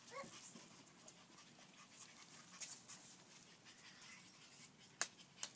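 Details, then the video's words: Playing French Bulldog puppies pant quickly and unevenly, breathy puffs repeating about twice a second, broken by a few sharp knocks near the end. "French Bulldog Puppies Playing"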